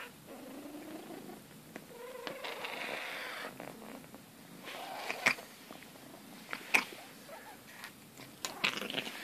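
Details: Smithy, a male exotic Persian rescue cat, reacting while getting his back scratched: a soft, rough continuous purr with some faint vocal murmurs and scattered clicks and rustles in a small room.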